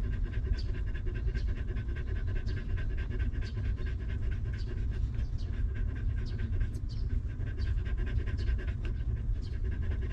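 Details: Panting from a stray mother dog caring for her litter of puppies in a harsh place, now sheltered and fed; rapid breathy huffs repeat evenly for the full stretch, with a faint squeak near the middle.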